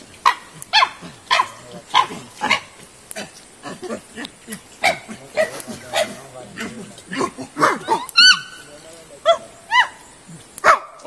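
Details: Chimpanzees in the 18-hectare electric-fenced natural habitat enclosure of the Nigerian Chimpanzee Centre at Afi Mountain Drill Ranch, Nigeria, giving a rapid series of harmonic hoots and shrieks that rise and fall, with voices of onlookers between calls.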